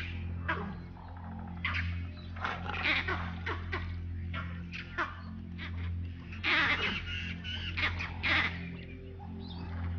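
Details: Vervet monkeys chatter harsh, irregular alarm calls in the distance, echoing a deer's barks and warning of a leopard nearby.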